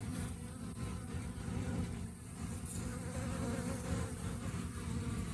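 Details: Honey bees in the rainy season, a colony facing hunger; a dense, steady low buzzing hum with faint higher whirring, continuous throughout with slight swells in loudness.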